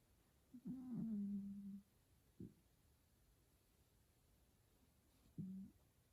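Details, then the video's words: F2 Savannah cat Taj, sleepy and being petted indoors, makes soft low wavering murmurs: a longer trilling hum early on, a brief click, then a shorter second murmur near the end. "Savannah Cat Taj Makes The Cutest Noises While I Pet Him."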